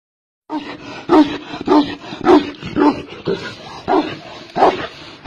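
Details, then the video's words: Tibetan Mastiff, a giant dog breed in China, barking in a steady series of deep, loud, blunt barks roughly every half second, with a slightly rough, roaring tone. "Giant dogs of China - The tibetan mastiffs"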